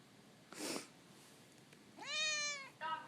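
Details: Overweight cat Lily, a chatty former dumpster stray, answers with a long bright meow that rises and then falls slightly, followed at once by a shorter second meow, after a brief hissing noise earlier.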